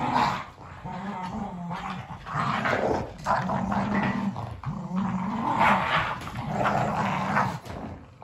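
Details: Kumo the Keeshond and Sully the Boston Terrier fight over a carrot indoors; continuous snarling growls with a harsh, rasping edge, rising and falling in intensity, with scuffling and mouth noises.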